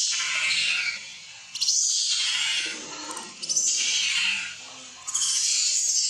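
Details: Baby monkey Leo crying and begging its mother for milk while hungry: long, shrill, wavering screams lasting one to two seconds, repeated with short pauses, each rising sharply then fading.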